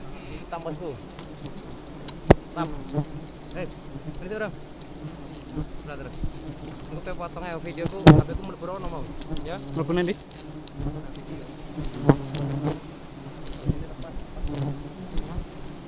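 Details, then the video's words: Agitated honey bees in a sustained low hum, with many wavering, looping whines as bees circle and dart past, and sharp snapping clicks scattered across the recording. "Lebah Madu Sangat Agresif"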